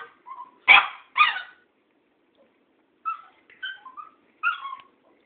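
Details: Cairn Terrier confronting an old tomcat: two sharp, loud barks in quick succession, then after a pause several quieter, higher, wavering yelps and whines in short bursts.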